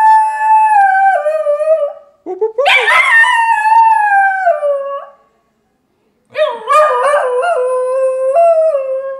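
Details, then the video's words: Niles the singing dog produces extended wavering howls, each long tone sliding gently downward with warbling pitch bends, separated by a short quiet gap. "Singing Dog Niles"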